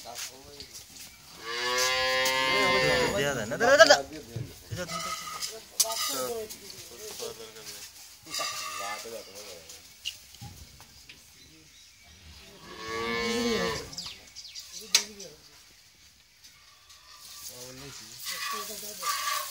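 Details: High-yielding Friesian cow, in her second lactation and with a newborn heifer calf: two long, strained moos about ten seconds apart, with men talking and farm clatter in between.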